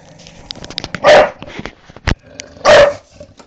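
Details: Bulldog bitch mad at a lawnmower gives two loud harsh barks about a second and a half apart, with clicks and background noise between.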